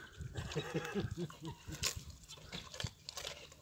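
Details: A male wild boar eating pumpkin gives a run of low, nasal grunts and squeaky snorts, then wet chewing noises.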